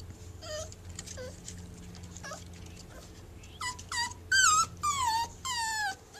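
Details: Playing puppy whimpers in short high squeaks, a few spaced notes at first, then louder, longer falling yelps in quick succession toward the end, over a low steady indoor hum.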